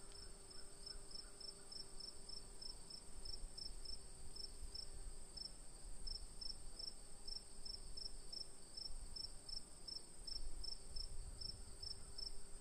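Crickets chirp in short, evenly spaced high pulses over a steady shrill trill.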